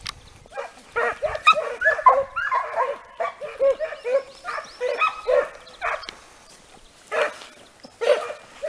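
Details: Several Segugio Italiano hounds trained on hare bay together in an overlapping chorus of short ringing notes, some higher yelps mixed in, with steady background hiss.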